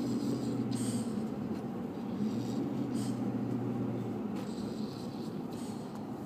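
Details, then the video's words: A dog snores in its sleep, low continuous rasping breaths with steady droning bands and soft airy puffs. "Snoring dog"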